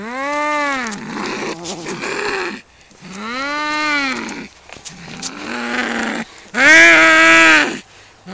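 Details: Two male domestic cats fighting over territory outside a home: long drawn-out yowls with rich harmonics, rising then falling, in bursts of one to two seconds, one ending in a harsh, louder screech.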